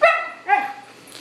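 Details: Pet dog 'talking' in an afternoon chat with its owner: a short high yelp, then a longer wavering howl-like moan that slides and fades out.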